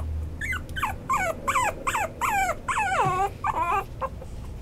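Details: Whimpers from a Maltipoo (Toy Poodle × Maltese): about ten wavering cries that rise slightly then drop, with one longer descending whine midway, over a soft low hum.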